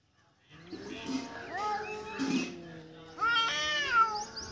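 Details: Domestic cat that has just caught a mouse, giving drawn-out, wavering harmonic yowls that rise in pitch and grow louder toward the end, with faint background voices.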